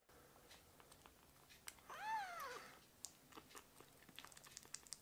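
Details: Rescued baby kitten indoors asking for milk with a cute begging cry; one clear, rising-then-falling meow lasting about half a second, surrounded by soft clicking and suckling-like noises.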